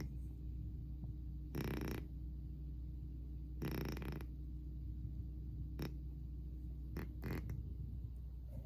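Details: Loud snores from a sleeping cat: two rough, noisy breaths about two seconds apart, followed by a few faint clicks and soft rustles against a constant low hum.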